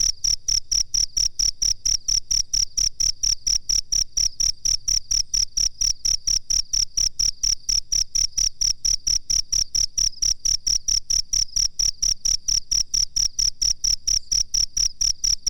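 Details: Cricket master recording for training birds: an unbroken, machine-steady stream of sharp, high-pitched chirps, roughly four per second, over a faint low pulsing thump.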